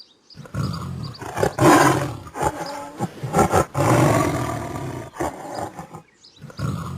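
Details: Tiger roar, a series of deep, rough, harmonic bursts rising to loud peaks and fading, repeated several times with brief gaps between them.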